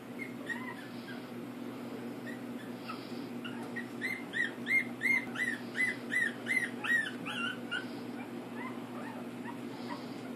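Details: Pug puppies, one named Elli, wag their tails while giving a run of high, squeaky whimpering yips, about three per second for several seconds, over a steady low hum.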